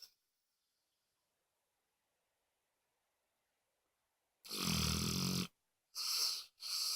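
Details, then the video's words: Pet dog Moses snoring: a long silence, then one raspy, hissing snore about a second long followed by two shorter wheezing breaths in quick succession. "Snoring Dog"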